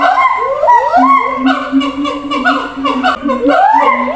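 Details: Siamang at a zoo, calling to others housed in separate cages at a distance: a steady low droning tone under loud rising and falling whooping calls that sweep upward repeatedly, overlapping.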